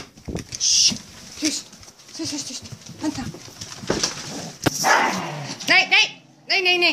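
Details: Restless dogs barking at men walking past for the fourth time: muffled irregular barks and whines, ending in a few rising yelping barks with harmonics, mixed with rustling.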